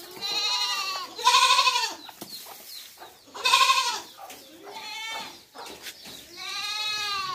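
Young goats bleat repeatedly, high quavering baas with rich harmonics, several overlapping voices.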